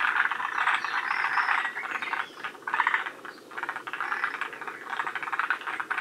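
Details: Forest green tree frogs calling in a group at Shiriya in Aomori, Japan, near the northern limit of their range. Loud, close, rattling croak trains overlap and merge, with a short dip in the middle before the chattering resumes.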